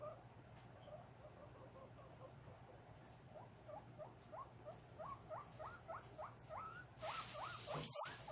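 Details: Guinea pigs kept as pets, recorded at cage-cleaning time in August 2022: a quick run of short, evenly spaced rising squeaks, about three per second, ending with a loud clatter.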